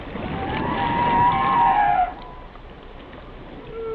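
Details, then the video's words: Whale song: a drawn-out, tonal moan holding a steady mid pitch with overtones for about a second and a half before stopping abruptly, followed by fainter tonal notes over a hissing background. "Song of the Whales"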